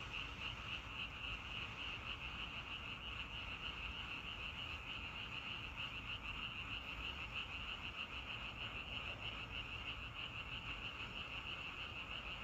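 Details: Frogs croaking in a natural setting, a dense, unchanging chorus of quick high pulses running the full length, about three per second, with low background rumble beneath.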